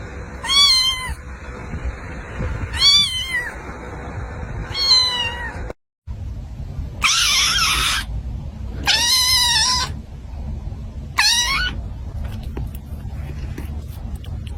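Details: Kitten's bright meows, each arching up then down, coming roughly every two seconds in a series of six with a brief gap midway, over a noisy indoor background.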